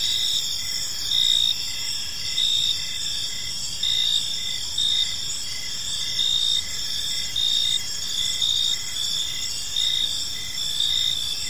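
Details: Crickets chirping in a peaceful park as evening unfolds: a steady, shrill high-pitched chorus with louder pulsed bursts swelling about every second and a half, over a faint low rumble of background noise.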